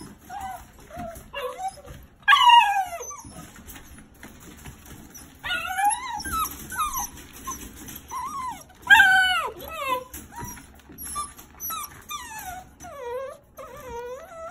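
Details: Playing 6-week-old rescue puppies, a brother and sister in foster care, give high squeaky whimpers and yips, many sliding up and down in pitch, scattered irregularly across the stretch, with a little human speech.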